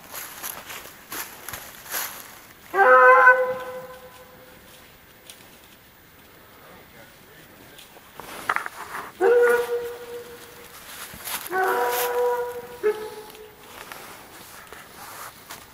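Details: Treeing Walker Coonhounds bawl on a coon track, long deep foghorn-like notes with rich harmonics; one hound has an odd high bawl, another running a coon within 20 yards.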